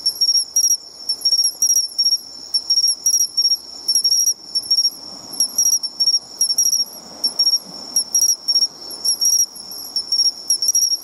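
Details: Bell crickets calling near the sea, found by following their sound: loud, ringing, high chirps repeated in rapid clusters, with a constant insect drone and soft low rumbling behind.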